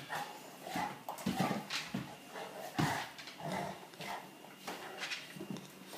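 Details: Bullmastiff and English mastiff puppies play fighting, giving short rough growls and gruff yaps in uneven bursts, loudest near the second and third seconds, over a steady faint hiss.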